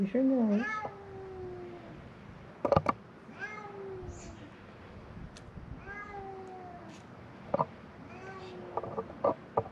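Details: Hungry feral cats at a closed building on Mare Island Naval Shipyard, Vallejo, California, crying for food: a series of long, wavering meows every couple of seconds, with rustling, clicks and brief speech.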